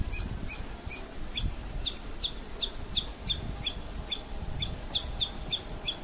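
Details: A female squirrel, startled by something, gives a fast, steady series of sharp, high chips as an alarm call.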